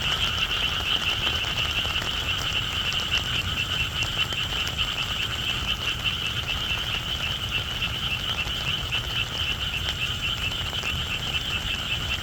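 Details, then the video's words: Chorus of frogs heard in the rain, a continuous wall of high, rapidly pulsed trills with no pauses, layered over steady rainfall noise. "비올때 듣는 개구리 소리"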